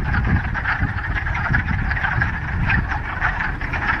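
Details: Frogs in a Ramapo Mountains pond in mid-March, first warm spring day after a week of rain, chorusing in overlapping clucking croaks, partly masked by heavy low rumbling noise like wind or handling throughout.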